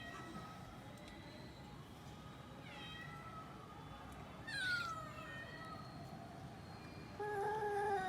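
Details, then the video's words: Domestic cat giving several soft meows with harmonic tones, a brief rising-then-falling cry near the middle and a steadier meow at the end, over a low background hum. "Cat funny sounds"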